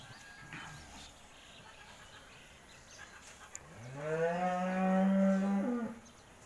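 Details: Holstein Friesian cow, a dairy cow offered for sale, giving one long, rising then level moo lasting about two seconds, rich in harmonics, after quiet background noise and people speaking Bengali.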